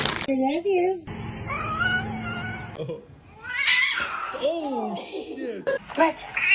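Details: Domestic cat meowing amid human talking indoors: drawn-out wavering meows with rising and falling tones, one long sustained cry, interrupted by overlapping speech.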